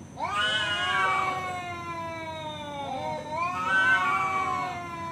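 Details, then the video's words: Male domestic cat challenging a rival: two long, harsh yowls, each rising quickly then sagging into a drawn-out tone, the second swelling near the fourth second. "suara kucing ngajak berantem//kucing jantan"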